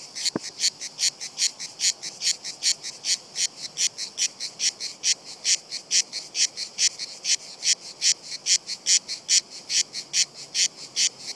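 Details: Cicadas, a few of them, keep singing while climbing down a tree trunk, undisturbed by someone close by; rasping shrill pulses follow one another rapidly and evenly, roughly every 0.4 seconds, after a brief click at the start.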